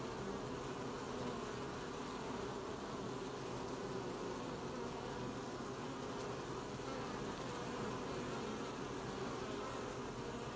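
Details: Apiary scene from 20 July 2020 with honey bees collecting honey: a continuous low hum of a crowd of bees, even and droning, over a constant soft hiss.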